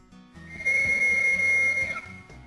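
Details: On a ranch on the high plains of southwestern Colorado, a Rocky Mountain elk bull bugles a long, high, piercing whistle as its mating call, heard in the September–October breeding season.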